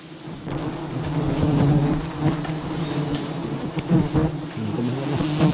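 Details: Honey bees swarming a beehive tree that holds 11 hives. Their dense, steady low drone carries stacked harmonic bands that swell and dip in loudness, with scattered knocks and crackling rustles throughout.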